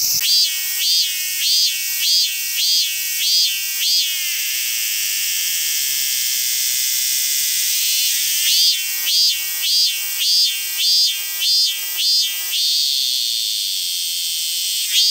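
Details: A cicada recorded in Ibaraki Prefecture, Japan, calls in bright, rapid pulses, repeated in bursts several seconds long over a steady shrill hiss.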